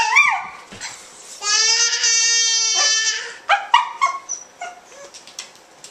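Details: Welsh Terrier kept as a pet, singing along with a screaming baby in a small room. A sharp rising cry opens, then one long, level, harmonic howl of about one and a half seconds, followed by rising wails and scattered clicks and knocks.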